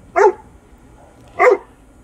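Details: Great Dane facing off with a rat without fear: a pair of deep, booming barks roughly one and a quarter seconds apart, with near silence between.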